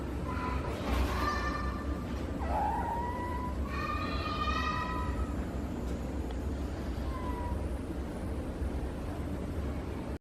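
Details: Fennec fox at Morioka Zoological Park, Japan, vocalizing in what may be snoring or sleep-talking: a handful of soft, whining tonal calls, some short and some drawn out, over a steady background hiss.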